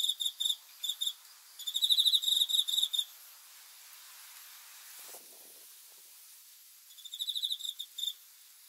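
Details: Night-time cricket song recorded as sleep sounds: clustered high chirps in bursts for three seconds, a long near-silent stretch with a soft low rustle, then renewed pulsed chirping.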